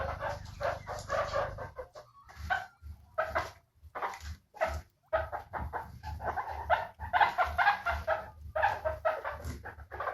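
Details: Series of bursts of chirping squeaks from guinea pigs described as happy, in uneven clusters separated by brief pauses, over a faint low droning hum.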